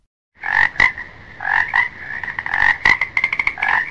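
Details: Frog croaking in quick, irregular bursts of nasal, rattling notes, some doubled or stuttered, with brief sharp clicks between calls.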